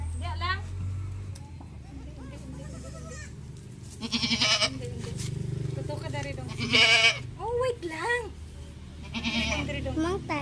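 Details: Goat kids receiving an iron vitamin injection from their keeper; several loud, wavering bleats with rich harmonics come in bursts a few seconds apart, mixed with people talking and laughing nearby.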